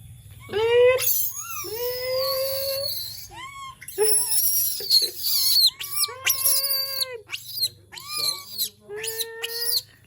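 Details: A monkey gives a run of whiny, wavering cries, each rising and falling, in quick succession; the owner describes this as the sound it makes when it misses humans.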